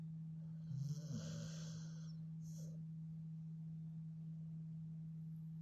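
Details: Pet Staffordshire Bull Terrier snoring: one rough, breathy snore early on lasting about a second, a softer short breath after, then quiet, over a steady low electrical hum.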